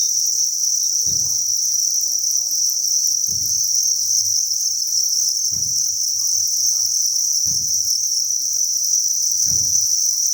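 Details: Crickets by the thousands in a cricket farm breeding facility produce a constant high, shrill chirring, while soft low thumps recur about every two seconds over a steady low hum.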